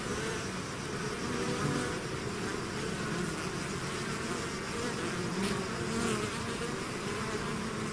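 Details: Steady, even buzz of a bee swarm emerging from the hive, a broad humming wash with shifting low tones and occasional nearby bees passing, no other sounds.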